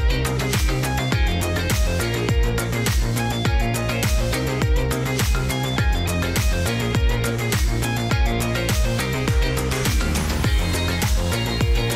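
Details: Loud electronic music with a driving, regular beat fills the whole recording.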